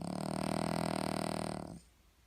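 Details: Loud snoring from a Cavalier King Charles Spaniel, a single steady buzzing, rattly rasp held for nearly two seconds, then silence.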